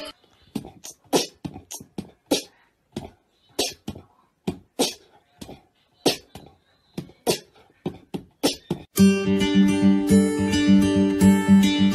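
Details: Sharp rhythmic percussive taps, roughly two per second, give way after about nine seconds to loud plucked-string music with a steady beat; no animal voice is heard.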